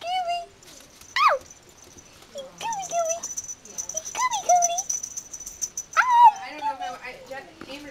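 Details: Yorkshire Terrier puppies playing together, giving repeated high whining yips and squeaky whimpers that rise and fall in short bursts, with a faint steady high tone behind.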